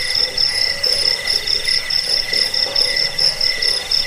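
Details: Crickets played as a track meant to drive away rats, lull listeners to sleep and serve as training sound for cage birds: several high, pulsed chirping trills overlapping in dense, steady bands, with faint lower buzzing beneath.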